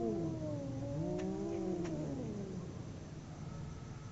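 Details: Fighting domestic cats, two animals howling: a sustained, wavering yowl that dips and slowly falls in pitch over about three seconds, with a couple of sharp clicks and a constant low hum underneath.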